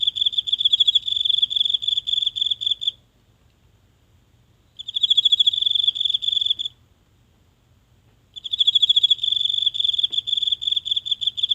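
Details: A single insect calling every night from grass in a tiny home garden, captured close by phone: three bouts of shrill, rapidly pulsed trilling, each a couple of seconds long with silent gaps between, in still night air.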